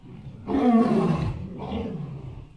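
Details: Elephant giving a loud harsh roaring call lasting about one second, broad and noisy with strong harmonics, followed by a quieter second burst.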